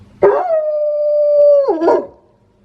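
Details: Pet wolfdog kept at home, with a notably quirky voice, gives a single steady mid-pitched howl held for about a second and a half, then breaks into a short rough, wavering tail before falling silent.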